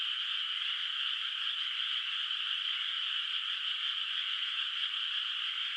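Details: Distant frogs in a rice field on a moonlit night in the countryside before rice planting, their massed calls blending into a constant high, buzzy drone with no pauses and no other clear sounds.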